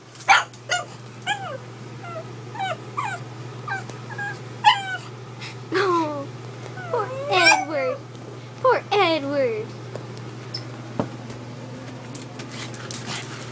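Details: Edward the pug, unhappy with a gallon water bottle indoors, gives a string of rising and falling whines and yips, roughly every second, with a person's voice mixed in and a low hum behind.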